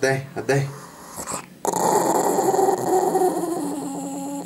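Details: A dog refusing to give back a chicken bone, indoors in a small room: a steady, rough low growl rumbling for a few seconds after brief handling noises at the start.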